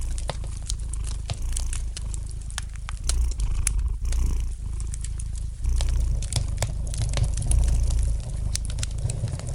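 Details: Relaxed cat purring near a fireplace: a soft, deep drone that rises and falls with each breath, mixed with light, irregular crackling and snapping of the fire.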